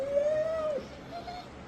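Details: Scooby, a rescued dog once kept for dog fighting and long too afraid to bark, gives a drawn-out whine that rises slightly, holds steady for nearly a second, then drops, followed by a fainter short second whine.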